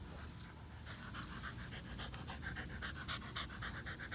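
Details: Hot, tired Boxer and German Shepherd named Odin and Samson sharing water in Oklahoma heat above 100 degrees; fast regular panting, nearly four breaths a second, airy pulses throughout over low background rumble.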